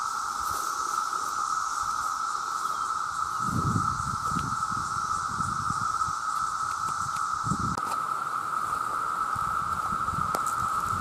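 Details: Vast chorus of male cicadas calling to attract mates, a very loud, unbroken steady whine holding one pitch throughout, with a fainter high hiss above and scattered low rustles and thumps underneath.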